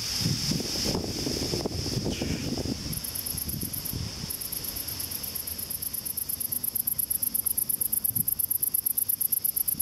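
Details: Great green bush-crickets give a high, rapid, pulsing buzz that grows steadier and louder, over a fainter continuous hiss, at about 9:30 pm at dusk near a waterside; rustling and footsteps are heard at first.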